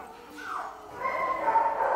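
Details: Newborn Belgian Malinois puppy, three days old, from a litter of five males and five females, makes a thin falling whine followed by a steadier, drawn-out whimper, with a soft voice nearby.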